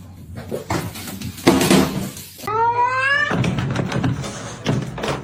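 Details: Cat giving one drawn-out meow lasting under a second, a rising then level harmonic-rich tone, set among knocking and household noise with a brief human voice before it.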